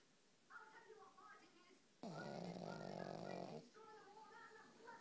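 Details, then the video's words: A family pug snores while asleep indoors. One long, loud, vibrating snore rasps for over a second. Quiet human talking and laughing come before and after it. "snoring dog"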